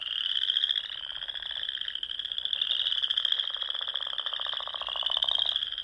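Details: Spring evening chorus of frogs among Sandhills lakes in Nebraska: a constant high, buzzy trilling from many voices, with a low pulsed rattle building toward the end.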